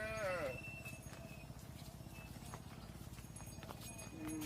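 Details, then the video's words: Cattle at a barn as the mothers go inside and the calves remain outside; a short, falling, tonal moo opens the clip, followed by steady low rumbling and scattered bird chirps. "Mother Cows Entering the Barn While Their Calves Stay Outside"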